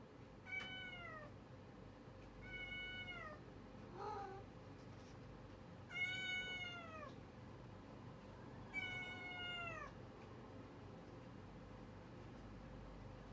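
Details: Cats meowing in an early-morning routine: four clear, drawn-out meows, each with a bright harmonic stack that bends downward at the end, spaced about two seconds apart over a steady low hum.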